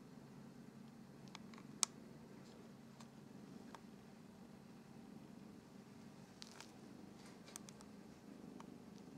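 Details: Sibling Norwegian Forest Cats grooming each other indoors: a steady, low continuous purring hum runs throughout, with scattered sharp licking clicks and small rustles on top.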